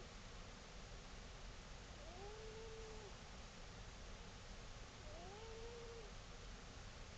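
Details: Old cat, 17 years, dozing on a table and snoring: two drawn-out whistling notes that rise then hold level for about a second, spaced around three seconds apart against constant hiss.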